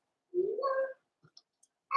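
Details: Four-week-old Cavalier King Charles Spaniel puppies in their pen, from Daisy's litter: one puppy gives a single rising whine lasting about half a second and climbing steadily in pitch, then faint clicks and the onset of another cry.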